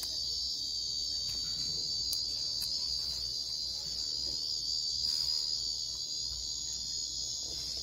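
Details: A loud, sustained, sizzling cicada drone from Japan, very high and steady without pauses for about eight seconds, with a few faint clicks over it.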